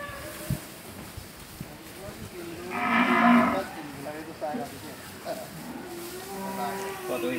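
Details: Dairy cow at a Bangladeshi cattle farm selling cows and heifers; a single loud, drawn-out moo of about a second swells mid-clip, with faint voices and farmyard noise around it.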